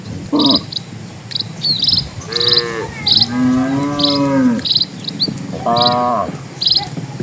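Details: A herd of dozens of cattle ambling over a rural road; several moos of varied length, one long and sagging in the middle, others short and nasal, over a bed of regular high insect chirps.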